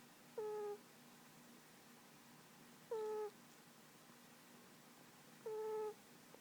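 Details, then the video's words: Domestic cat snoring while asleep on its owner's lap indoors: three short whistled nasal tones, each level with a slight drop at the end, one about every two and a half seconds over a soft steady hiss. "My snoring kitty"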